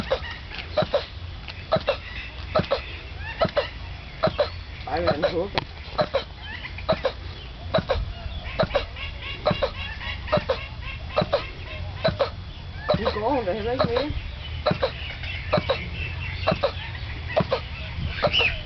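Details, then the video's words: On Mauritius, a zoo turtle calls while mating, audible zoo-wide for more than twenty minutes: abrupt, clipped grunts at a steady pace of about one per second, over twittering birds and conversation from onlookers. "Turtle sex"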